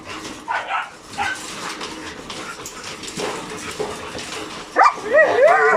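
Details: Two hyper dogs, Logan and Kaido, excited by insects, birds and voices; scattered soft yips early on, then a high rising and falling whine near the end over steady background hiss.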